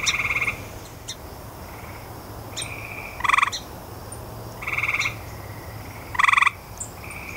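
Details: Several pulsed trills from grey tree frog, short rattling bursts spread irregularly over the recording, some louder and closer than others, alongside faint high clicks and a constant low drone.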